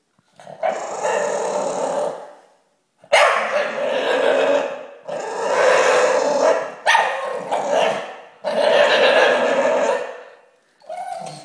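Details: Staffordshire Bull Terrier going crazy, giving long rough growling bark bursts of about two seconds each, five runs separated by short pauses, with a person asking questions nearby.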